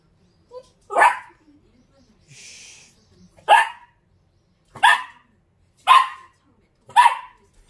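A Dachshund gives a string of short, sharp barks spaced about a second apart.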